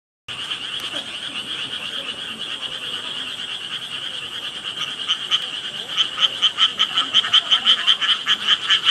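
A dense chorus of frogs trilling steadily, with sharper pulsed calls repeating a few times per second.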